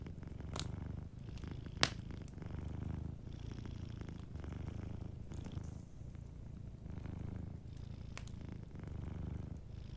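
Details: A cat sleeping by the fireplace purrs continuously in a soft, low drone that waxes on each inhale and exhale, punctuated by scattered sharp crackles of the fire.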